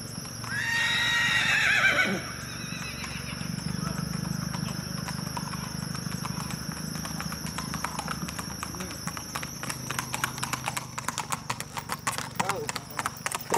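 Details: Sorrel cross-bred stud saddle horse named Hog Pen, ridden with trail riders: a loud, quavering whinny with falling harmonics lasting about two seconds, followed by steady clip-clop of hooves and a man's voice.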